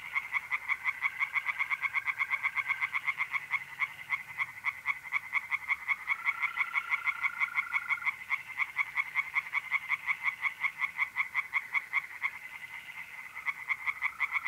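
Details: Pond at night in mid-April, north-east Italy: tree frogs give rapid, repeated rasping croaks in an unbroken chorus, with mole crickets adding smooth sustained trills that start and stop at intervals.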